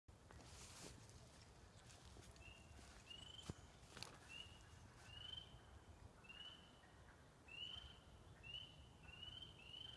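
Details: Spring peepers in a forest in spring, heard with ducks: short, thin, rising whistled peeps, some overlapping, repeated roughly every half second to one second, faint against a broad hiss of outdoor noise with a few knocks.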